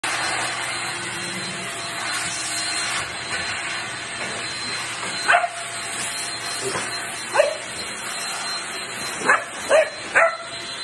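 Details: A Basset Hound gives deep, rising barks in short bursts over the steady roar of a vacuum cleaner, objecting to the loud machine.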